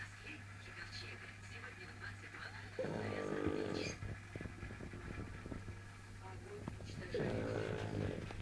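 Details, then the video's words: A pug's wild snoring that keeps a cat from sleeping, heard as two long raspy snores about four seconds apart over a steady low indoor hum and faint background chatter. "Мопс не дает спать кошке дикий храп"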